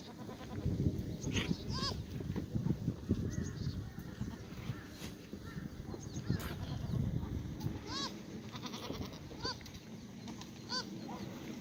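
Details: Several black goats on a Gimhae, Korea farm exercise yard, sunny Monday morning, 1 April 2019; high, wavering bleats from more than one goat at irregular gaps, mixed with constant low rustling and thumping background noise.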